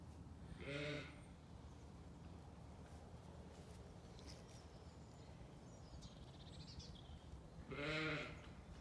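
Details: Zwartbles ewes and their growing lambs in a paddock on a County Kilkenny farm in Ireland: two short wavering bleats about seven seconds apart, with quiet outdoor rustle between them.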